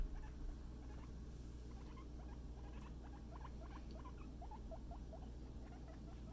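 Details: Scruff the guinea pig out for floor time with a friend, giving scattered quick upward-sweeping squeaks that come in loose bursts across the clip over a steady low background hum.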